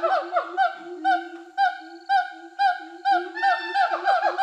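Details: Rehabilitated siamangs, free for over a year in Sumatran forest: the male's territorial song from a tree, meaning "this forest is mine, don't enter," loud honking barks about twice a second, female joining behind in support.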